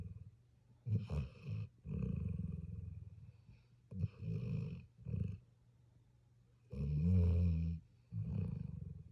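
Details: Snoring from a sleeping puppy: low, grating breaths of about one second, the last one louder and longer, separated by near-silent pauses.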